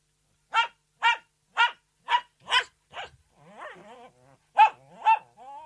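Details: Poodle delivering a rapid run of six high barks, then a lower growly whine, two more barks and a final drawn-out whimper.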